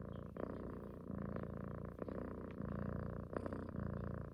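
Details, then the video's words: Affectionate female cat purring during a cuddle, described as snoring along with a person; even low rumbling purr with gentle breathing pulses and occasional small rustles. "Snoring cat wants mother’s love"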